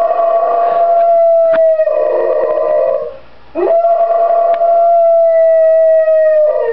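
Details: Pet dog howling in protest at being crated, long sustained tones with rich harmonics, a gliding howl of about a second and a half, a brief pause, then a second long steady howl falling slightly at the end.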